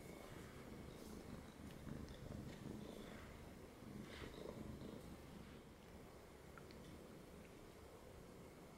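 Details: Pet cat settled on a lap, purring in a soft, even, low throb that keeps going without a break, recorded close and quietly indoors.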